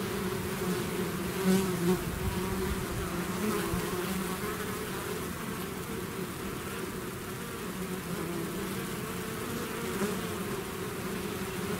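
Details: Honeybee swarm out of its hive, dense continuous buzzing with steady low droning bands and a shimmering wash of overlapping wingbeats, loudness holding even throughout with slight swells near the start.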